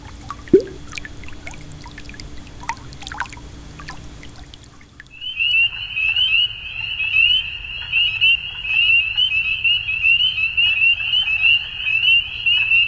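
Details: Frogs calling at dusk in spring in Ontario, Canada; after a stretch of trickling, clinking sounds, a dense chorus of high, shrill, overlapping peeps begins partway through and continues steadily to the end.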